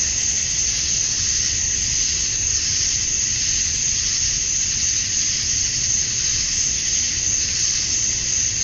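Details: Cicada chorus at dusk on a summer night in Georgia, USA, males chirping to draw females: a steady, seamless high-pitched drone with no breaks and only slight swells in loudness.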